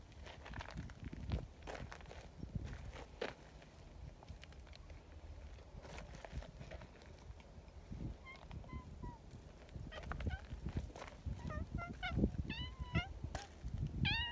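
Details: Friendly community cats at an outdoor cat gathering, including a newcomer tortoiseshell and a chubby brown tabby, give a series of short, tonal meows in the second half, some rising and some falling, over rustling, footsteps and handling noise.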